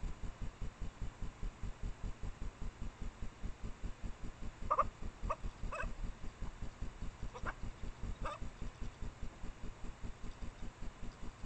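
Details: Japanese badgers, a female in heat and a male, mating out of sight near her sett in secondary woods at midnight in late April, caught by trailcam: five short, harmonic yelps spaced about a second apart over steady, rapid low pulsing.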